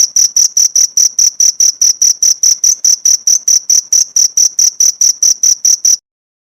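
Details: Masteran cricket chirps used to train pleci songbirds: rapid, piercing high pulses at roughly four a second for about six seconds, then sudden silence.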